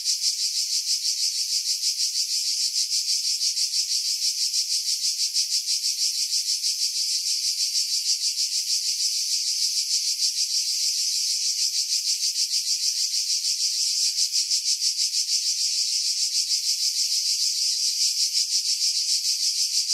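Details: July 2018 cicada chorus from pines above Pefkos Bay on Skiros, Greece, recorded with a Sony RX3 and external mic: a steady, shrill, rapidly pulsing buzz held without a break for twenty seconds, wind filtered out.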